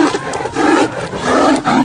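Tiger roars and snarls in two harsh, rasping bursts, low and throaty, in the heat of a fight.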